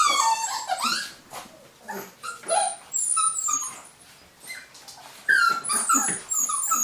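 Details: A litter of golden Cavapoo puppies, vaccinated and ready for new homes, indoors in the UK: several overlapping high, thin whimpers and squeaks, some rising or falling, with shuffling sounds between them.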